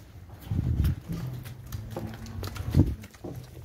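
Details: Cows on a farm in El Salvador, Gyr and Holstein-Jersey crossbreds near calving; one short, low, even lowing sound lasting under two seconds, framed by thumps and rustling.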